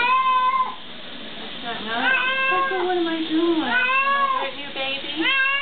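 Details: Pet cat protesting during a bath with long, wavering meows, some bending down then up again, one nearly continuous yowl run together with the next; sound has a speech-like "help" quality.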